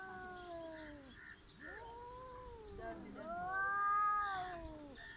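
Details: Cats in a village squaring up to fight, trading long drawn-out wailing yowls with rising and falling harmonic tones that overlap one another, low growling moans in between, faint background hiss.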